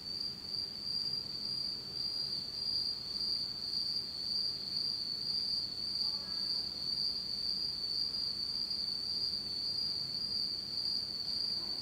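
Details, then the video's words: In Japan's autumn darkness, night insects keep up a constant shrill high-pitched trill, unwavering in pitch, while a brief faint lower chirping flickers near the sixth second over soft background hiss. "真っ暗闇の秋の虫の声 Beautiful sound of insects in the fall of Japan in total darkness."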